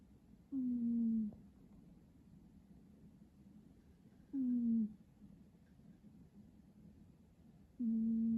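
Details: Cat snoring: three steady, humming, whistle-like tones, each about half a second to a second long and dipping slightly in pitch, recurring roughly every three to four seconds with near-silent pauses between breaths.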